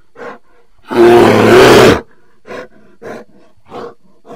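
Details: A bear lets out a loud, rough roar of about a second, followed by four short, softer grunting huffs spaced roughly half a second apart, with quiet between them.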